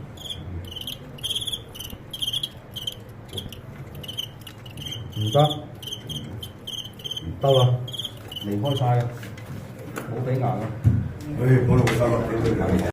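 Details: Fighting crickets give repeated high, clipped chirps for the first nine seconds. Men talking in Cantonese grows louder and takes over toward the end.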